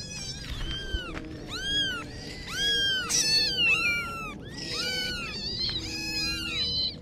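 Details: Kittens meowing in a steady stream of high, arching cries that rise then fall, several voices overlapping so calls follow one another almost without pause over a faint low background hum.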